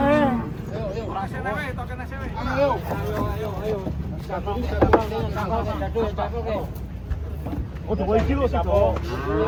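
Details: Giant cattle being unloaded from a truck, low drawn-out moos rising among many overlapping shouting human voices, with a steady engine rumble underneath throughout.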